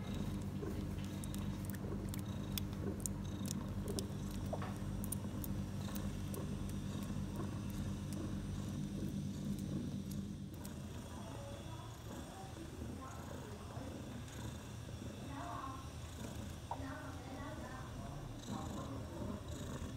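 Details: Mother cat Bella, six hours after giving birth to four kittens (three male, one female), purrs in a continuous low drone for about ten seconds. After that the rumble fades into rustling, with soft high squeaky sounds near the end.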